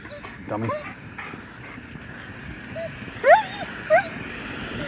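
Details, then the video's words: Dog making odd vocal sounds: a few soft whimpers early, then two loud high rising yelping whines about a second apart near the end, with faint room noise and a low hum. "wth wrong with this dog"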